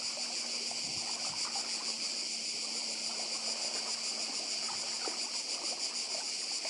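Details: Cicadas on Badija Island in Croatia, calling together beside the sea in 2024: a dense, steady, high buzzing sheet with a fine rapid shimmer, unbroken throughout, over soft low rumble from the water and faint scattered ticks.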